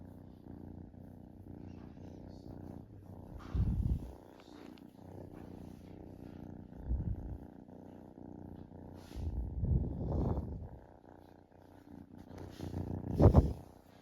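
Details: A relaxing kitten purring steadily, a low, even rattling rumble with fine rapid pulses, broken by several louder soft thumps and rustles around four, seven, ten and thirteen seconds.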